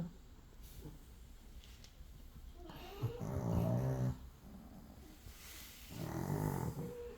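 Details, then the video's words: Chihuahua asleep indoors on an overcast Crimean morning, alongside a poodle; two loud, low, throaty snoring bursts near the middle and end, over quiet room tone with a few spoken words. "Принцессы не храпят"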